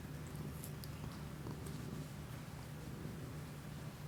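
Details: Kiku-chan the pet cat purrs close to a Shure MV88 microphone on an iPhone indoors, a deep, pulsing rumble that holds steady for the whole stretch, with a few light ticks and rustles above it.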